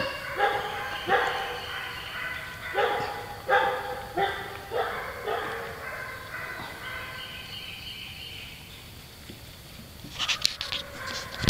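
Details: Golden Retriever puppies at play with a shaved Great Pyrenees; a fast series of high, yappy barks repeated about once a second, fading into a quieter stretch before some clattering noise at the end.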